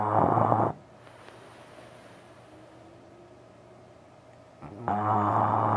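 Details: Maximus, a French Bulldog, snoring away while asleep late at night: a loud, rough, rumbling snore with a buzzy layered tone opens the clip, then about four seconds of quiet breathing, then another loud snore.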